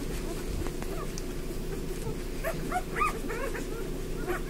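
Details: Eleven five-day-old Bernese Mountain Dog puppies at lunchtime, giving short high whining squeaks and yips, several bunched around the middle, over a steady low hum and rustling.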